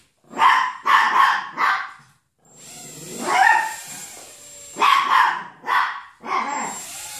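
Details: Chihuahua facing a Hubson X4 quadcopter, giving sharp, high yapping barks in quick bursts: three rapid barks, a pause, then more clustered barks, over the steady high whine of the drone's motors.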